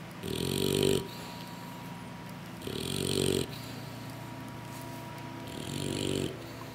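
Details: English Bulldog puppies asleep and worn out after a big meal from their mother; three slow, rough snoring breaths with long quiet gaps between them, plus a faint steady hum in the background.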